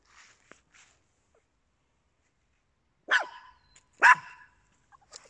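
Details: Small dogs, papillons with a Yorkshire Terrier, kept as indoor pets; after a near-silent stretch come two sharp, high barks about a second apart, with faint scratching before and after.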